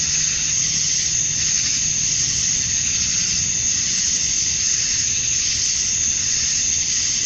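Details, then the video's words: Cicadas at dusk on a summer night in Georgia, USA, the males chirping to attract females; a high, rasping continuous drone pulsing in slow waves about every two seconds, over a quiet low rumble. "Cicadas at Dusk, Summer Night"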